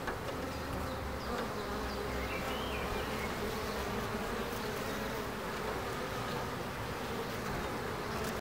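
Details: Bees in Ebersberg make a constant, thick buzz that fills the whole stretch, while a faint high bird twitter briefly sounds about two seconds in.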